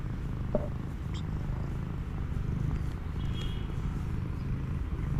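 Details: Street cat purring while hugging in greeting after three months apart; an even, low, pulsing rumble fills the whole stretch, with only a few faint clicks and a brief thin whine outdoors.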